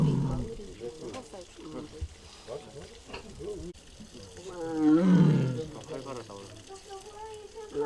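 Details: Mugung, a six-year-old tiger at the Tiger Forest in Bonghwa, South Korea, makes strange sounds on an April 24, 2026 afternoon. A harmonic, wavering moan swells midway and is mixed with human voices nearby.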